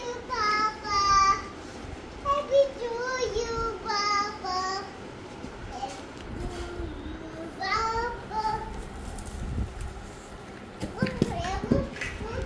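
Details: High, thin meows from playing kittens, short and wavering, repeated in quick bursts, with a brief human voice near the end.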